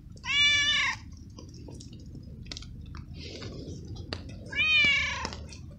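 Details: A stray cat, very wet from the rain and given treats, meows a lot, possibly because of the cold: two long, strong meows at the start and end, with rustling, clicks and constant rain-like hiss between.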